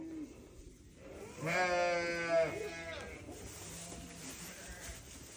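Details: A single newborn lamb bleat, tremulous and harmonic, lasting just over a second, then faint background sounds.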